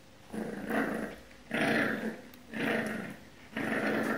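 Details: Pixel, a 10-week-old French Bulldog puppy, growls indoors while trying to reclaim his bed from an unimpressed cat: four harsh, rumbling growl bursts, each about a second long, separated by short pauses.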